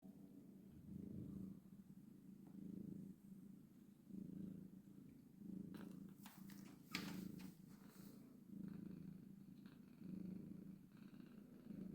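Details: Purring of a domestic cat, a mother with her kittens, street cats kept indoors; steady low rumbling purr swelling and fading in breath cycles about every one and a half seconds, with brief rustling and handling noises midway.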